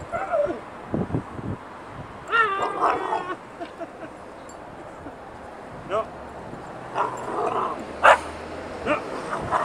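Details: Angry three-month-old puppy Bella, playing outside, lets out a few sharp high yelps and whiny barks in short separate bursts, with quiet gaps and a person's voice nearby.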